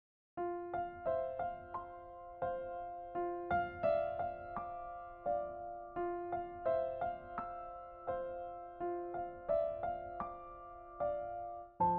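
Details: Gentle electric piano melody with steady repeated chords and no animal voices.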